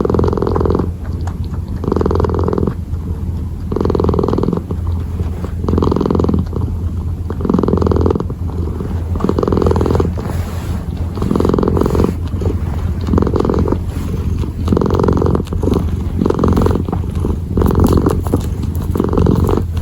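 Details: Purring kitten kneading, deep continuous rumble swelling into brighter bursts about every two seconds, alternating inhale and exhale phases.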